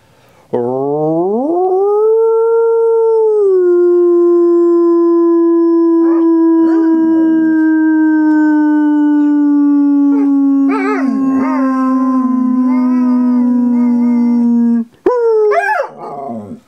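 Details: A Groenendael (Belgian Sheepdog) gives one long, sustained howl in response to a person's howl. The howl is steady at first, then wavers and breaks near the end.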